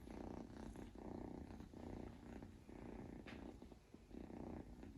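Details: Sleeping Scottish Fold Longhair kitten Mofy, a male born 21 July 2021, gives soft rhythmic snores, one low raspy breath roughly every second, with a faint click near the middle.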